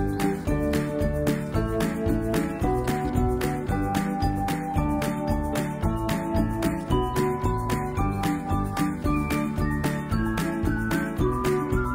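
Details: Bright, jingly music with bell-like chimes and a steady beat plays throughout, with no animal sounds.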